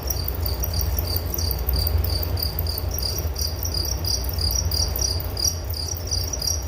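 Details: Cricket chorus with distinct high, rhythmic pulsed chirps beating in quick repeated bursts, layered over a continuous low-pitched hum.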